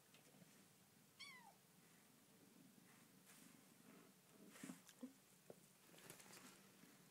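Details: Bengal kitten meowing in her new home: a single sharp, high meow that slides downward, followed by rustling, soft knocks and handling noises indoors.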